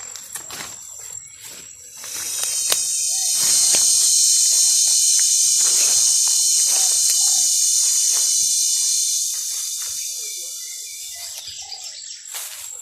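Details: Cicada, locally called kundidit, swelling into a shrill, steady metallic buzz after two seconds, holding level for about eight seconds before fading, with scattered clicks and faint rustling before and after.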